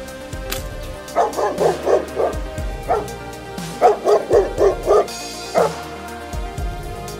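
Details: Big black dog barking in two quick runs of about five sharp, mid-pitched woofs each, plus a few single barks between, with soft music underneath.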